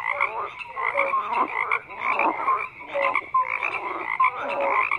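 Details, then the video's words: A chorus of croaking frogs, grating pulsed croaks rising and falling in waves about once a second, broken by brief clear piping notes. "FROGS CROAKING"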